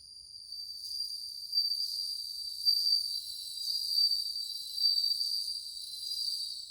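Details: Group of bell crickets in August 2020 produces a shimmering high-pitched ringing, sustained trills pulsing louder and softer about once a second from overlapping insects.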